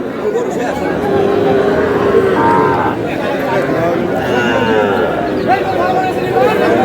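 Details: Small bull calves at a cattle market where a farmer from Noakhali, Bangladesh, is buying on 11 July. Drawn-out harmonic lowing rises over constant crowd chatter and bargaining voices, with several calls overlapping.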